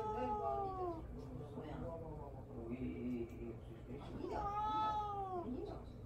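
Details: Mamedaifuku, a pet cat, meows indoors for attention while being ignored: two drawn-out, harmonic-rich meows, the first falling and lasting about a second, the second rising then falling, with low murmuring voices between.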